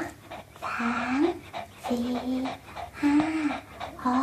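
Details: Pomeranian dog eating an apple; four short nasal whining whimpers, roughly one per second, each with a slight rise and fall, with breathing sounds and soft background voices.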